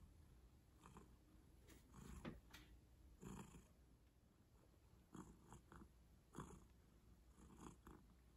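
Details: Pet cat purring softly at close range, a low steady drone with irregular airy swells and a couple of brief sharp clicks, otherwise calm and indoor-sounding.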